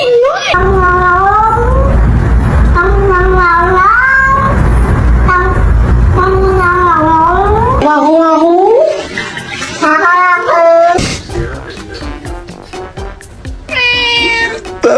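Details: A domestic cat, apparently female, gives a run of drawn-out meows that rise and bend, seeming to mimic human speech, over human talk and background music.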